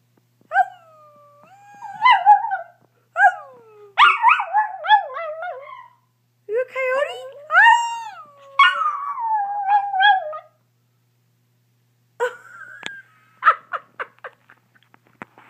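A small dog's howl: quavering tones that swoop up and slide down, mixed with sharp yips and whimpers. The bursts come in a broken run, with brief gaps and a person's voice in the background.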